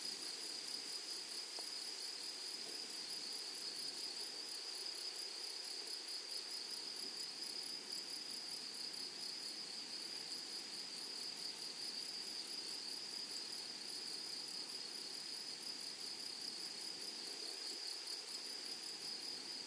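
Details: Grasshoppers calling in a flowering meadow: a long, constant, high-pitched electric-sounding buzz, with a faint pulsing shimmer above it and soft rustle below, one short tap early on.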